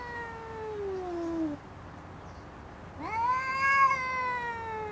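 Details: She-cat in a dispute over a garden chair: a falling drawn-out wail ends, a quiet gap follows, then a new yowl swoops up and wavers loudly.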